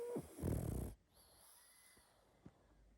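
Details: A sleeping pug lets out one loud, buzzy snore lasting about a second, rough and throaty with a slight whistle at its start, then the room falls almost silent.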